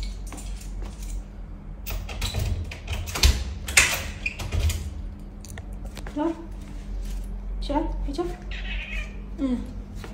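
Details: Pet cat indoors, wanting to go outside. A person's scolding speech and clattering fill the first half, followed by three short harmonic meows spaced about every one and a half seconds.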